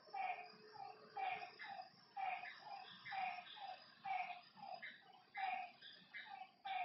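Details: Lakeside frogs at night give rhythmic, slightly twangy croaks about twice a second, several animals overlapping, while insects hum faintly in the background.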